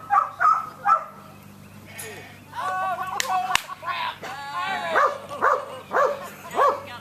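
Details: Samoyed Irish at an AKC herding instinct test at Keepstone Farm near Berryville, Virginia, June 2013: quick clipped barks open and close the stretch, with people talking in between and a sharp crack midway.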